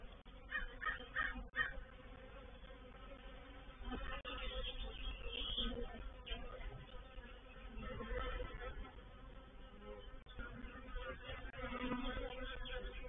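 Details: Reproductive swarm of honey bees moving into a bait hive (swarm trap) at Painted Peacock Manor, 04/07/21; a dense, steady droning buzz with a low hum underneath, broken by a few brief louder bursts.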